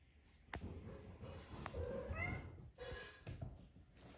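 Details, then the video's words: Maine Coon mother Ellie calls to her six-week-old kittens indoors in SE Michigan. She gives a brief bright trilling chirp midway, surrounded by thumps, rustling and low murmur, with a second fainter chirp shortly after. "Mom cat talking to kittens"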